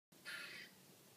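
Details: Squirrel calling from a tree outside a house, recorded on 19 January 2013: one short, harsh, noisy burst lasting under half a second, with a faint steady background hum.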